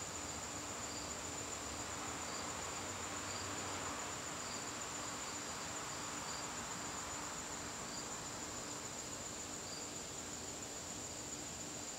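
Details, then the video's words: Evening cricket chorus in a garden during September: a continuous piercing trill and rhythmic pulsed chirps repeating several times a second over a low rumble. "garden crickets"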